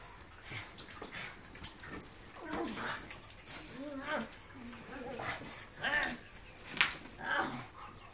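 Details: Husky, wolf hybrid and pug playing together, giving short wavering whines and grumbly yelps in quick bursts, mixed with scuffling, panting and sharp clicks of play.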